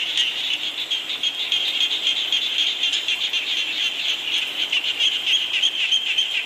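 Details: Rain and a frog chorus: a shrill, trilling mass of quick repeated calls over a steady rain patter.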